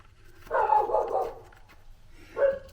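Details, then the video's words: Puppies barking in the background while a man modifies a power tool; one rough, drawn-out burst of barking, then a second short bark near the end. "You can hear the puppy dogs in the background barking, can't you?"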